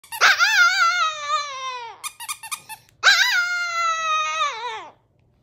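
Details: Tiny Chihuahua 'singing' the Banana song: two long, wavering howl-like notes of about two seconds each, rich in harmonics and sagging slightly in pitch, separated by a brief burst of choppy yelps.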